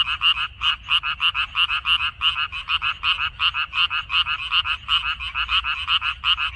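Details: Frogs croaking in a Korean water-dropwort field on 14 May 2021, overlapping voices giving uneven, jostling bursts of croaks, nearly three per second with brief pauses, over soft low background noise.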